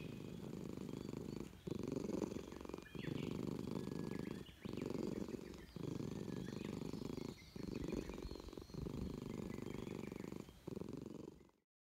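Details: Friendly stray Russian Blue cat from a park purring nonstop under petting, showing joy at a reunion; loud low purr in regular bursts about a second long, each split by a short breath gap, then silence.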